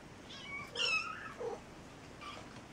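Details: Scared kittens after a cat's failed jump: one clear, bright meow rising then falling, followed by a shorter lower mew and a faint third call.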